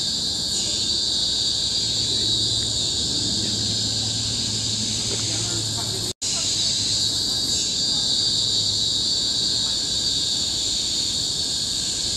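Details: Chorus of cicadas in the tropical forest of Bukit Timah Hill, Singapore, 2017, producing a deafening, unbroken high-pitched shrilling drone, interrupted by one brief silent gap midway, with a soft low rumble in the background.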